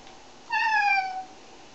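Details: Cat being shampooed, one of three, gives a single loud, clear meow lasting under a second, a bright tone sliding gently downward, in an otherwise quiet room.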